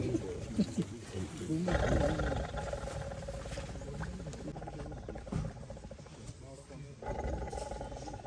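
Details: A tiger trapped in a cage in Wayanad gives low, rumbling growls and short roaring bursts, loudest around two seconds and again near seven, with human voices mixed in.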